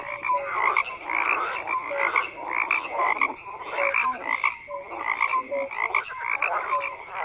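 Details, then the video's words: Dense chorus of croaking frogs, rhythmic swells of raspy calls with short tonal notes repeating throughout, many animals calling at once without pause. "FROGS CROAKING"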